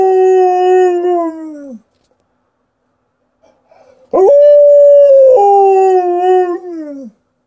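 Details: Howling female Alaskan Malamute: a long howl sliding gradually downward, silence with a faint whimper, then a strong rising onset into a steady howl that drops in steps and trails off downward.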